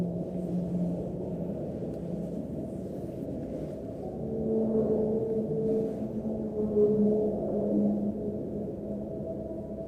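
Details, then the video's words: Whale song recorded deep underwater on the seabed: low, drawn-out moaning tones that slowly rise and fall over a deep underwater rumble. "네, 이게 바닷속 저 해저에서 이제 채취한 그야말로 녹음한 고래의 노랫소리입니다."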